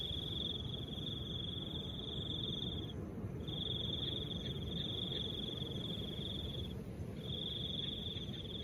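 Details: Crickets amid soft wind: long unbroken high trills of about three seconds each, separated by short half-second pauses, three phrases in all, with a steady breathy wind rumble below.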